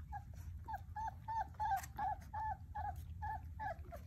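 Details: Basset Hound puppies playing: a fast, fairly even series of nasal whining yips, roughly three per second, with a faint growl beneath and a low background drone.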